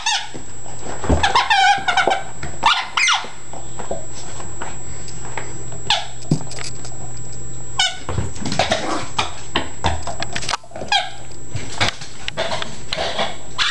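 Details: Yorkshire Terrier-Chihuahua mix dog going wild over a squeak ball, giving flurries of high, sharp, harmonic yips and squeals in quick clusters with brief pauses between bursts.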